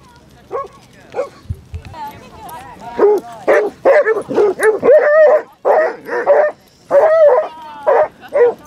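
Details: Basset Hounds among 37 walking four miles on Exmouth beach; a run of loud, overlapping barks and drawn-out baying howls, dense and repeated, with a person's speech mixed in near the start.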